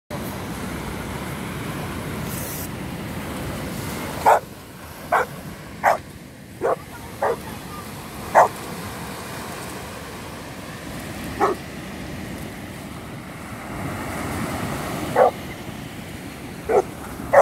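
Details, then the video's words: Cane Corso named Daffi, recorded in Ustka in 2019, giving about a dozen short, sharp barks spaced irregularly over a steady low rumbling background noise. "Cane Corso Daffi"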